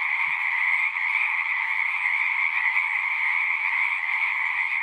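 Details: Many frogs singing at a pond in a horse pasture, captured on a Zoom recorder: a dense, unbroken trilling chorus with a bright high band and a lower band, steady throughout, with one faint low thump early on.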